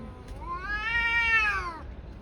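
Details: Tabby cat caterwauling during a fight with another tabby: one drawn-out, harmonic-rich yowl that swells and rises in pitch, then fades over about two seconds, over low background rumble.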